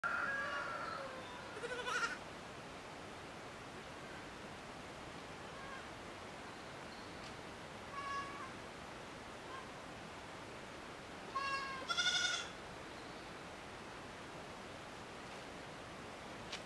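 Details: Miniature goat kids at the Domaine des Tourelles farm, out enjoying the sun: a few short, nasal, quavering bleats spaced several seconds apart, soft against a steady background hiss.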